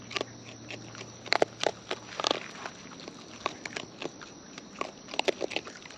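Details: Close-up chewing by wild raccoons as they eat: crisp crunches and wet clicks come every fraction of a second, loudest in a burst near the middle, over faint background hum.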